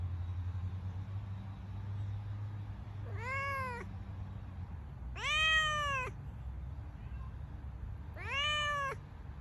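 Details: Cat with kittens giving three clear arched meows, each about a second long and spaced roughly two seconds apart, rising then falling in pitch, with a constant low hum underneath.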